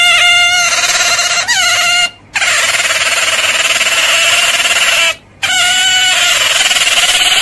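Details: Piercing otter squeals, each opening with a short pitch bend before levelling into a long, strained tone, with two brief pauses between bursts.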